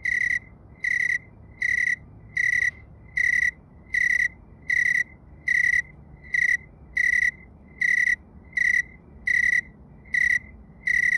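A tree cricket gives clear, pure-toned buzzing bursts, each repeated a little under once per second.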